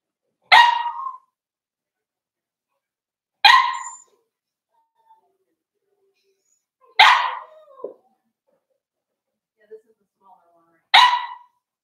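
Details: Four-week-old Cavalier King Charles Spaniel puppies from Daisy's litter in their pen: four short, sharp yappy barks, spaced roughly three to four seconds apart, with a few faint squeaks between them in an otherwise quiet room.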